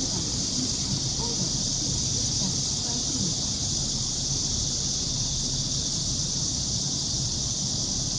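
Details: A Korean blackish cicada drones in one loud, unbroken, hissing buzz during an August 2016 heatwave in Seoul, louder than the metro train and bus, with a low rumble of traffic underneath.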